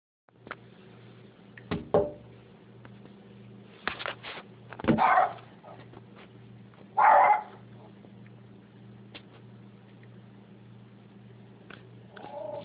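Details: Rat Terrier indoors barking in reaction to noises on the other side of a window, another dog present: a few sharp, loud barks spaced irregularly over several seconds, with softer shuffles and a steady low hum between them.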